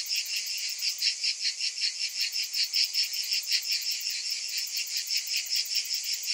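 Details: A hot-summer chorus of cicadas, high and rasping, swelling and fading in rapid beats roughly two or three times a second over a steady electric-sounding drone.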